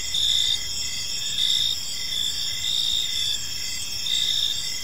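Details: Crickets chirping on an evening in a peaceful park: dense, steady high-pitched trilling bands with short pulsed chirps repeated in regular bursts about every second, over a soft low background hum.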